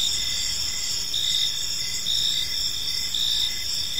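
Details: Evening cricket chorus in a quiet park, a bright continuous high trill with pulsed chirps every half second or so, plus light low-frequency ambient noise.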